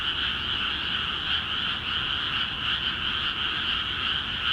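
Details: ['Dense chorus of frogs in Akiha Ward rice fields newly filled with water, the massed croaks merging into an even, shimmering trill that swells gently in places.']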